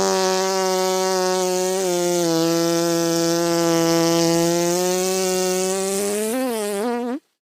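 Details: Honey bee buzzing in one loud, steady, low drone that holds an even pitch for about seven seconds, then wobbles up and down briefly before cutting off abruptly.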